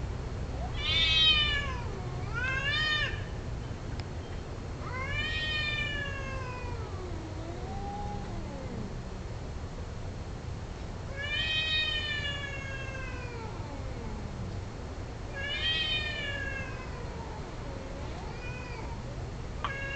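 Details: Several domestic cats caterwauling during mating, long wavering yowls with rising and falling pitch, one after another at intervals of a few seconds, answering each other, over a low steady background hum.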